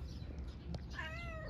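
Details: Homeless mother cat or kitten on an Istanbul street, seeking affection more than food: low traffic rumble, then one clear, descending, harmonic meow lasting about half a second near the end.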